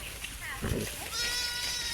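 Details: Garole sheep while eating; a person speaks briefly, then a steady, high bleat starts and holds for most of the final second.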